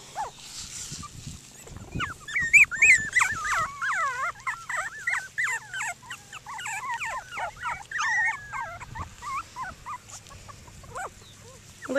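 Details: Outdoors at Denning Farms, a litter of seven Cockapoo puppies plays and crowds around people. A dense, rapid stream of high-pitched whining yelps and squeals runs for about eight seconds, then fades to scattered whimpers.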